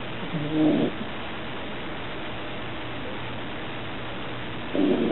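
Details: Nana, a pet dog and the loudest snorer of four dogs in one household, sleeping: two short rasping snore breaths about four seconds apart, with a steady low indoor hum between them.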